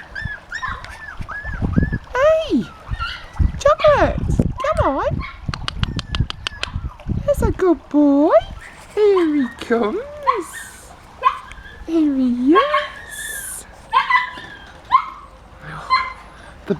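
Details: Puppies from Honey's litter, out of their pen for the first time. Human chatter and encouragement fill the first half, then a run of high, swooping whimpers and squeals follows, each call bending up and down.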